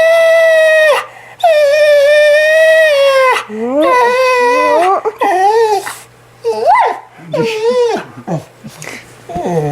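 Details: Female Australian Shepherd Mya in a hysterical meltdown indoors: a long steady whine, then wavering, quavering cries breaking into short rising and falling yelps, while her owner keeps teasing about taking her tongue.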